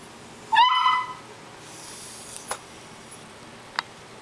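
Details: A poodle gives one short, high yelping bark that rises and then falls, followed by a few faint clicks in a quiet indoor room.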